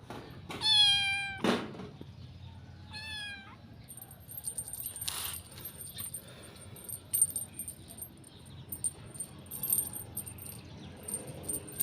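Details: Cat giving two meows: the first a loud, high, rising-then-falling wail, the second shorter and softer, followed by clicking, jangling and handling noises with a faint high electronic whine.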